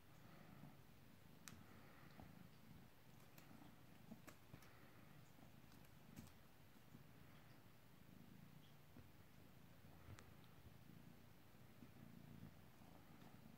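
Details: A three-month-old male British Shorthair kitten indoors, playing with his favourite toy, makes a soft, steady, low rumbling purr that swells gently every few seconds, with scattered small clicks and taps from play.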